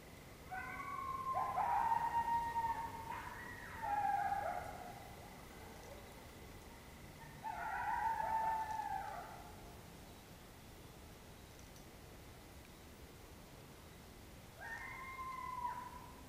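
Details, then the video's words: Coyotes close at hand in Oklahoma, October 2016, giving bursts of wavering howls and yipping cries in three separate bouts, each a few seconds long, separated by quiet pauses with a faint steady hum. "Coyotes right up on top of us"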